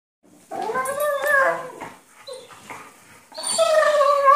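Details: Two Weimaraner sisters play-fighting on a bed make whiny, howling yowls that bend up and down in pitch.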